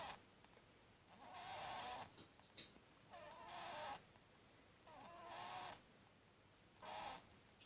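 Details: Buttons, a one-year-old pet bunny, snoring: breathy, raspy bursts with a faint tonal buzz, each lasting about a second and recurring roughly every two seconds, separated by quiet pauses.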